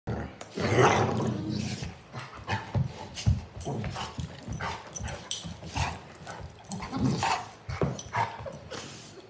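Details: Two Golden Retrievers, half brother and sister Oliver and Madison, born 1 1/2 years apart, wrestle on their backs in a mouthy upside-down play fight. Low grumbling growls and snorty bursts come irregularly, strongest in the opening second, with scuffling throughout.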